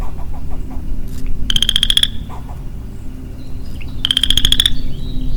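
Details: Early spring, 4 April 2022, a lonely male western chorus frog in the woods gives two crisp ratcheting trills that climb slightly in pitch, about two and a half seconds apart, with faint background chips between.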